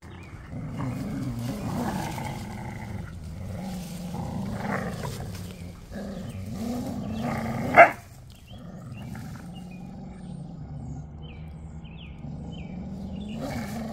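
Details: A Chow Chow and an Australian Shepherd play-fight. Low, rumbling growls run through most of the stretch, with one sharp yelp-like burst near the middle, then a quieter, steadier growl toward the end.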